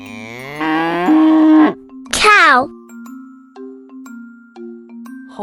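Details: Cow mooing: a long, steady, low moo lasting over a second and a half, followed by a shorter, bending call. Simple tinkling children's music plays underneath.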